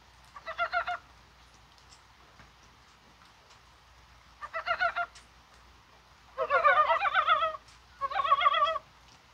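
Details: Korean brown frogs croaking in January rain on a spring-like day, likely spawning: four bursts of rapid knocking, clucking pulses, the later two louder and longer, suggesting more than one frog calling.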